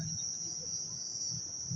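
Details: An unbroken high ringing trill from crickets heard all around at night in Taman Rakyat Klang, with a soft low rumble beneath.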